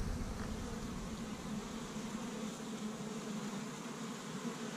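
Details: Honey bees swarming busily around an established hive on the first warm spring day in Michigan, gathering pollen from tree buds; a dense, steady low hum of many wings with faint flickering buzzes, continuous throughout.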